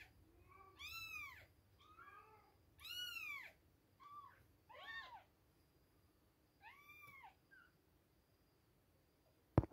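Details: Two-week-old kittens near feeding time give loud, clear, arched mews spaced about a second or two apart, some strained and harmonic-rich, in a quiet room ending with a sharp click.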